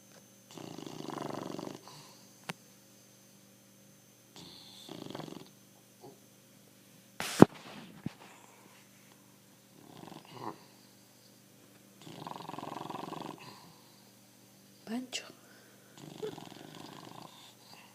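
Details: Pancho, a pet bulldog, snoring indoors: rough, rattling breaths come in bursts of about a second and a half, repeating every few seconds, with a sharp knock and a few small clicks in between.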